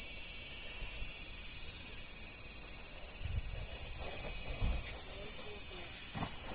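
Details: Continuous shrill cicada buzz holding steady the whole time, with a few low knocks and brief murmurs partway through.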